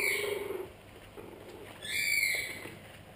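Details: Pug cross puppies whining: a high, thin whimper with stacked overtones opens, then a second, rising-and-falling whine follows after a short quiet gap, with faint background rustle.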